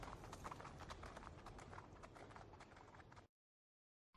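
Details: Horse hooves clip-clopping in a fast, steady rhythm, dense overlapping strikes for about three seconds before the sound cuts to silence.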